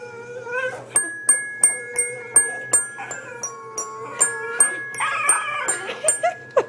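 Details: A pet dapple Dachshund, a male, playing the piano and singing indoors. Single piano notes struck about every third of a second alternate with the dog's high, whining howls, which grow strongest near the end.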